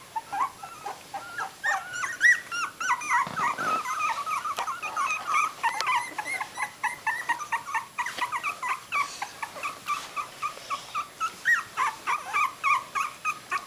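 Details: Three-week-old puppies, their eyes newly open, recorded 27 December 2008: a dense, overlapping chorus of high squeaky whimpers and yelps from several pups, rapid and uneven, with brief rustling near the three-second mark.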